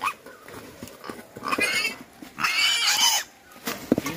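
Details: A wild boar that fell into an old latrine pit, during its rescue, gives short grunting squeals, then one long, harsh, high-pitched squeal lasting nearly a second.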